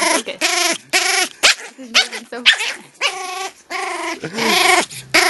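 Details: Pomeranian puppy acting "evil" in what the owners call Gizmo mode: loud, close, wavering whine-growls in sustained bursts about a second long, separated by short gaps.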